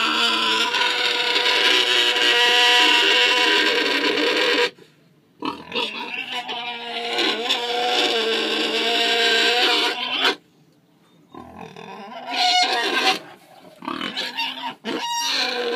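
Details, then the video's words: Cranky Tamworth sow in a paddock, recently weaned from her piglets and complaining at both the person and the boar; several harsh squealing bouts of differing length broken by short silences, some choppy and stuttering. "Tamworth Sow - Loud Complaining"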